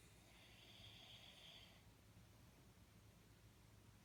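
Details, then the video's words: A sleeping Jack Russell Terrier named Jaxie gives one drawn-out, whistly snoring breath lasting under two seconds, followed by quiet, steady low background hum. "Jack Russell Sleeping & Jack Russell Snoring"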